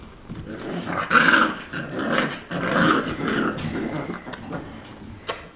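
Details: Four-week-old Alapaha Blue Blood Bulldog puppies wrestling indoors, the way they learn to play and interact, with rough, breathy play growls and snarls rising and falling over several seconds, plus scuffling.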